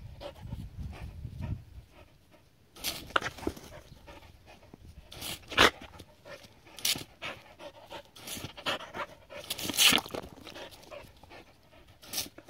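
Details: Seven-year-old Border Collie playing in water, breathing in quick, rough pants amid irregular splashes and sloshing water, with louder bursts of splashing every few seconds.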